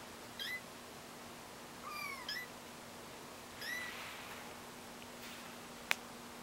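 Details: Kittens learning to walk: three high, thin mews, one doubled, each bending up then down, over a quiet hum, followed by a single sharp click.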